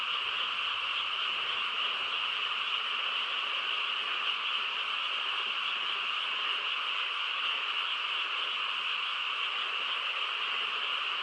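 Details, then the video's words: Frogs chorusing on a quiet countryside night: a dense, unbroken wall of overlapping trilling calls holding steady for the full eleven seconds, strongest in a bright mid-high band with a second lower band beneath, no pauses or other sounds. "고요한 시골 밤에 개구리 합창 소리"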